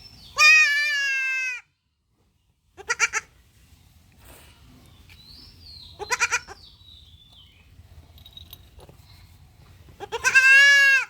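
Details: Goat kid restrained during castration bleats repeatedly: a long steady nasal cry, short stuttered bursts, another brief cry, then a final loud bleat. Quiet gaps fall between them, and a person's soft voice is faintly heard.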